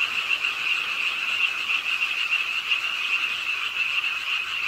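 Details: Frogs croaking by a park pond in Suwon's Ingye Art Park on a rainy late night, a dense continuous chorus of overlapping rapid calls forming a steady high rasping band, with rain noise beneath.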